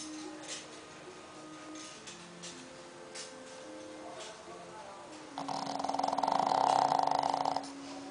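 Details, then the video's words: Toffy, a nine-month-old pug, sleeping indoors on a Sunday afternoon in southern Brazil; a quiet steady hum, then a loud rasping snore swelling for about two seconds near the end. "Snoring Pug (Toffy)"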